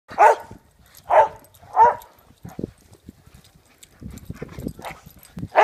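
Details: Three pet dogs playing together outdoors in the snow: three loud, mid-pitched barks in quick succession, a pause filled with rustling and scuffling, then another bark at the end.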